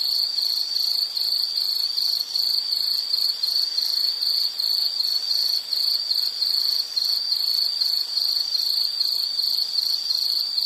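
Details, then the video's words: High, shrill insect chorus pulsing in quick regular bursts, roughly two to three per second, holding an even pitch and loudness throughout with a clean background. "Sound · Nature Sound of nature sounds scenery L · insect"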